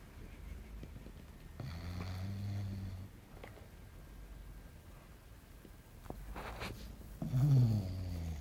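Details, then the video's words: Belchior, a little English Bulldog, snores in his sleep in a small room, with a low droning inhale around two seconds, a soft pause, then louder rumbling snorts near the end. "Belchior Roncando"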